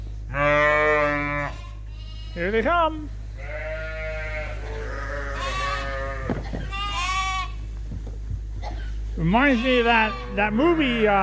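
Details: Suffolk lambs at Ewetopia Farms, mixed into one big group in the barn after a gate was left open, bleating in long harmonic calls, several overlapping, with a steady low hum beneath.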